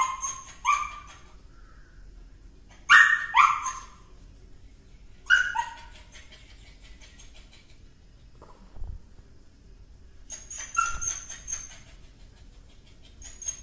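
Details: Cute dog barking in irregular bursts of two or three shrill yaps, separated by pauses of a few seconds, with a couple of dull thumps in between.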